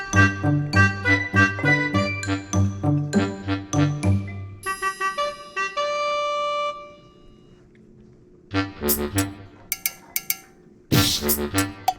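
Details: Cheerful tinkling music plays throughout, with bell-like chimes and brassy notes in a bouncing rhythm. A quiet stretch in the middle separates the musical bursts, and no animal sound comes through.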